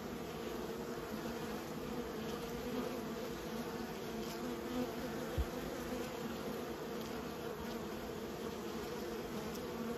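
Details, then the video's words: Honey bees being raised, a steady dense hum of many bees buzzing continuously throughout, low droning with no distinct pauses, a single brief click midway. "Raising bees🐝"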